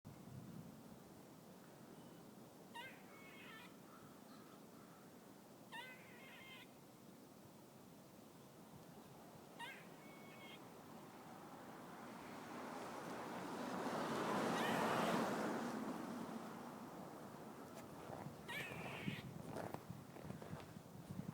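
Brief, whiny calls that sound almost like a cat's mew come from a squirrel, spaced a few seconds apart. A rushing swell of wind or passing noise rises midway and then fades.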